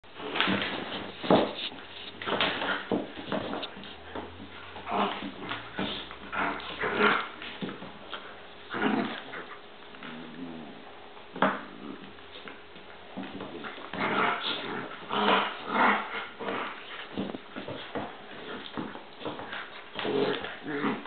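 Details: Two dogs, Bowser and Canela, fighting indoors: broken bursts of growling and whiny yips come in uneven clusters with short quiet gaps, some sharper yelps standing out, in a small room.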